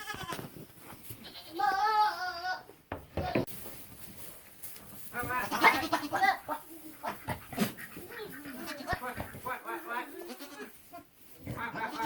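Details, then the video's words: Young male goat, a buckling, making funny sounds: a wavering harmonic bleat near two seconds, then shorter quavering bleats, mixed with clicks, rustling and soft human voices. "Buckling making funny sounds"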